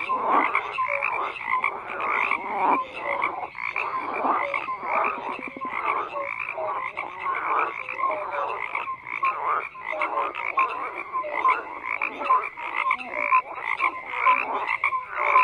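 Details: Frogs croaking in a dense, unbroken chorus: many overlapping rattling croaks at mid pitch, with short pulsed notes stacking on top of one another for the whole stretch and no clear pauses.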